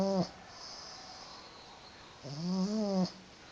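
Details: Pug snoring indoors: two wheezy, harmonic snores, a short one at the start and a longer rising-then-falling one about two seconds later, with a faint high hiss between breaths.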